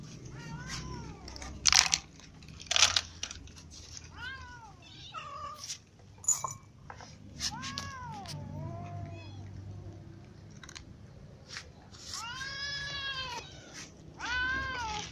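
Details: Several cats, ginger ones among them, eat together in the morning on a live feed, meowing repeatedly. The calls are rising-and-falling, overlapping and insistent, with a long cluster of meows toward the end and occasional clicks and knocks.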